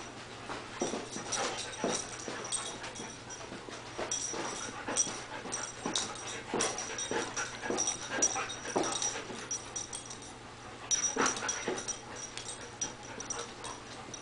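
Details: Small female dog that wants to play with the cat keeps up a long series of soft panting huffs and snuffles, irregularly spaced, with a brief lull before resuming, over a faint high steady tone.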